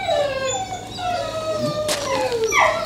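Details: Akita Inu dog during its first training session in Čačak, Serbia, giving a long, tonal whine that slowly slides downward in pitch, ending in a brief higher yelp, over a steady low hum.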